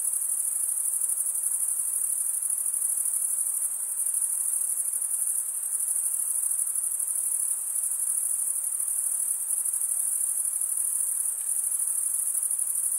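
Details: Crickets chirping at night in a summer forest: a dense, unbroken high-pitched trill holding steady for the whole stretch, with a soft hiss underneath and no other clear sounds.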